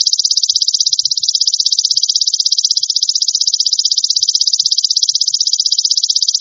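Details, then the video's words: Golden grasshopper, recorded as a tutor sound for songbirds: a continuous, high, hissing buzz made of very fast, even pulses, steady throughout, with no other sounds. "Masteran Belalang Emas Untuk Burung"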